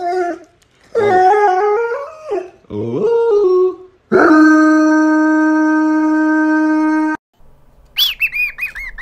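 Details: Puppy howling: a few short wavering howls that rise and fall, then a long, steady, held note lasting about three seconds, ending with brief high squeaky yelps.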